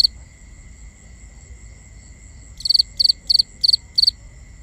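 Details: Crickets at night in a binaural recording: after a quiet stretch, five short, bright chirps come about three per second, each a quick burst of three or four pulses, over a steady high insect whine.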